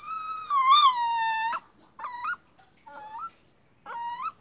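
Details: Puppy giving a long, high, tonal whine that rises and falls over about one and a half seconds, followed by three shorter whining yelps spaced about a second apart, in a quiet setting.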